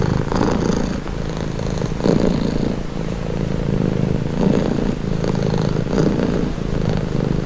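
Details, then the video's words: Steady, soothing purr of a house cat, a deep rumble that rises and falls with its breathing in slow cycles of roughly a second or two, with no other sounds present. "Purring cat | Calming Relaxing Nature Sound"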